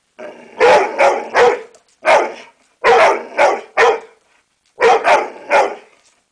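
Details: An American Staffordshire Terrier barks on command, giving loud, harsh barks in clusters of two or three with short silent gaps between groups.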